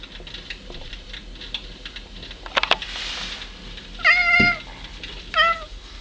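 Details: A pet cat talking to birds, recorded on 25 January 2009: two short, bright, slightly wavering meows about a second apart near the end, after a stretch of quiet clicks and a burst of rustling noise indoors.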